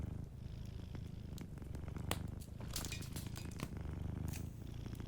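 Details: Sleeping cat purring softly beside a warm fireplace: a low, steady rumbling purr in pulsing waves, with a flurry of sharp crackles and pops from the fire in the middle seconds.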